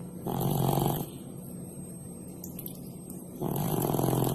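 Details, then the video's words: Sleeping cat Pak Pak, who likes to doze beneath the stove, gives two deep, throaty snores separated by a quiet pause of about two seconds; a soft room hum runs underneath. "THE SNORING CAT"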